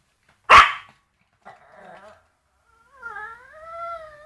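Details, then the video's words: Worked-up dog confronting a bone: a single explosive bark opens, then a grumbling growl lasting about a second, ending in a long, wavering, rising-and-falling whine. "Моя неадекватная собака лает на кость"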